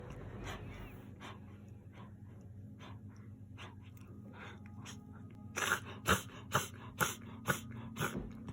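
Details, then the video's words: Miniature Dachshund indoors having a reverse sneezing fit, which a vet linked to gum inflammation spreading to the nose; a run of loud, rapid snorting inhalations comes about every half second near the end, after quieter breathy snorts. "ミニチュアダックスフンド の逆くしゃみ"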